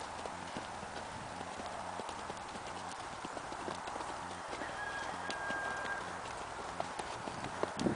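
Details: Tennessee Walking Horse ridden at a natural rocking chair canter, its hoofbeats heard as soft, steady thuds beneath constant broad rushing noise, with a faint thin whistle-like tone briefly in the middle.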